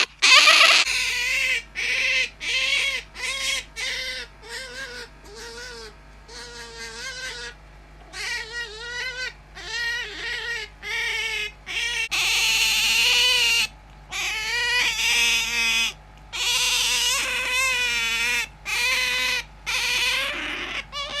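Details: Hand-raised otter kept as a pet squeaks insistently in place of an alarm clock: a long run of high, nasal, wavering squeals, mostly brief, evenly spaced and separated by short gaps, growing louder and more continuous in the second half.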